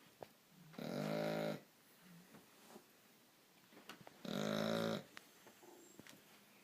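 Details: A dog sleeping on her back indoors, snoring very loudly: two long, rasping, harmonic-rich snores, each under a second, about three seconds apart, with quiet breathing and small snuffles between.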